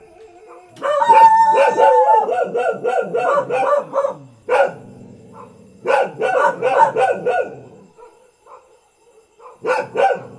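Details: Ordinary village house dog barking in rapid, tightly bunched volleys of sharp, harmonic barks, several per second, with a short pause near the middle and a final burst at the end.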